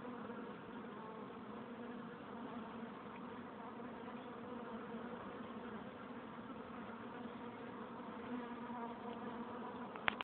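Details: Steady collective drone of honey bees gathered at their hive entrance, a level buzzing hum with rich overtones, continuing unchanged to a short click at the very end.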